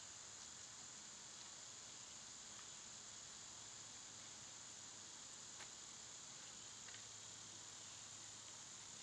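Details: Cicadas buzz steadily in summer heat, a flat, high, unvarying hiss. Only a few faint clicks break the drone.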